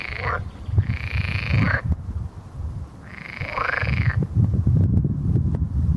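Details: Croaking of edible frogs: two long, drawn-out rasping calls of over a second each, separated by a pause, over steady low-pitched background rumble and brief clicks.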